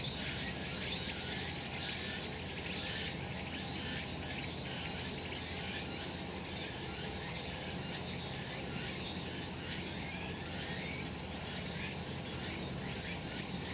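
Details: Sunlit summer mountain with cicadas calling: a loud, dense high buzz throbbing in quick irregular pulses, roughly once a second, with a faint thin tone above and low rumble below.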